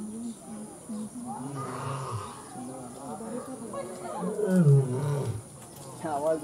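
A lion gives deep, rumbling roars with throaty, groaning surges that swell and fade.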